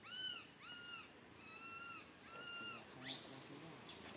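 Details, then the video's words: Baby monkey Santo crying on a branch, mother Sara unable to tend him: four drawn-out, arching whine notes in steady series, then a sudden loud rasping scream. "Little Monkey SANTO cries on the branch tree so loudly Mama monkey SARA can't take care of him"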